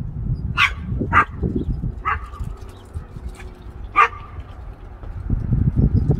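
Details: Chihuahua after a squirrel in Iowa following the 2020 derecho, giving loud, sharp yapping barks, four across six seconds, the first two close together, with a person's voice and rustling underneath.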